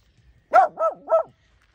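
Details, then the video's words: Eight-year-old male Corgi, Chihuahua, Beagle and Dachshund mix barking at a javelina on a morning while house sitting in Serena Vista: three quick, mid-pitched barks in under a second, the first loudest, with otherwise quiet surroundings. "Barks At A Javelina"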